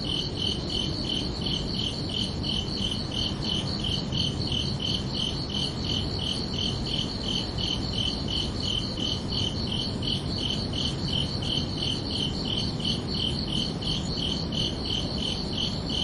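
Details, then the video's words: Crickets at night on a summer evening keep up a long, unbroken run of sharp high chirps at a brisk, even pace, nearly three per second, with a broad low rumble beneath. "Calming Cricket Sounds for Relaxation"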